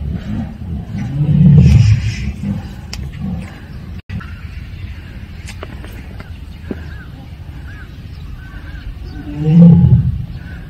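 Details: Siberian tigers, also called Korean tigers, from one family at Seoul Grand Park, giving 'aung' calls: two deep, low, rumbling calls, one early and one near the end, with a quiet stretch between and faint distant background sounds.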